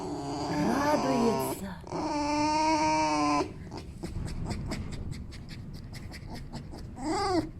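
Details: Male fox squeaking with happiness: a wavering squeak, then a long steady whine, followed by a run of sharp clicking taps and a final short rising-falling squeak.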